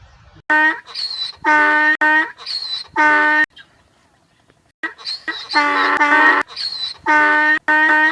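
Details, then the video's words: Harsh donkey bray, strongly harmonic honking notes alternating up and down in a quick rhythm, interrupted by a brief silent gap for breath before the loud see-saw braying starts again. "donkey sound effect"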